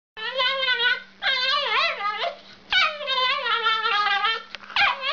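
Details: Dog giving long, wavering, whistle-like whines in four drawn-out phrases, pitch bending up and down with rich overtones, with brief gaps between them; a steady low electrical hum runs throughout.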